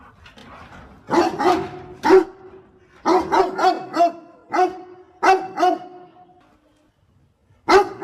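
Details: A dog helping its owner pick water spinach barks repeatedly, a run of closely spaced, resonant barks with a brief quiet gap before one final bark.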